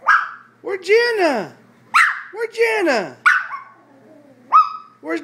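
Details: Maltese dog playing on a chair, excited: arching, harsh yappy barks with yodelling whines between them, about five bursts in five seconds, loud and close, with a quiet room behind.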